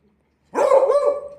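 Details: Beagle kept as a pet, barking on its owner's command: one long, loud, wavering harmonic bark lasting nearly a second after a short silence, while the owner urges it on with spoken bow-wow sounds.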